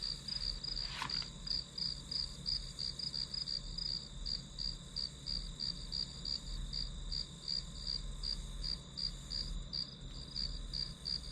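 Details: Rapid high chirps of grass insects repeated about three times a second, with one sharp click near the start, over a steady high drone and low rumble, played as study white noise.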